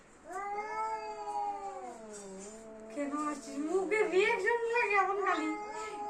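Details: Cats in a fight: long wavering yowls slide downward, then turn into rougher, warbling, rising-and-falling wails, with a person's voice speaking briefly.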